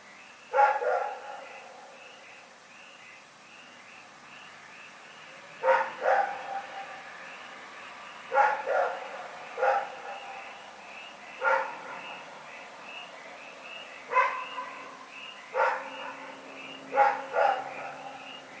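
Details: Dog Rex barking through the night, recorded February 27, 2018. About eight barks, often in quick pairs, come after a pause of several seconds, while faint rhythmic chirping carries on underneath.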